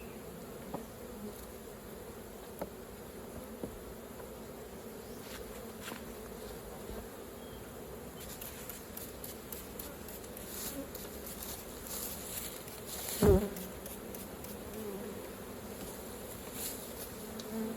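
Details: Swarming honey bees around a hive being worked for honey. A continuous low hum holds steady for the whole stretch, with occasional light clicks and one loud knock about thirteen seconds in.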